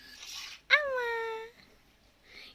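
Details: Abandoned kitten left on a road, crying indoors while people care for it: one loud harmonic meow starting sharply, then a long level, slightly falling tone lasting nearly a second, with soft voices before and after.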